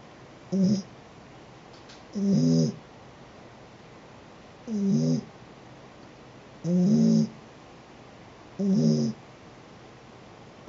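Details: Sleeping pet cat snoring steadily: five short, buzzy, low-pitched breaths repeated about every two seconds, each with a soft airy hiss, and nothing else heard in a quiet room.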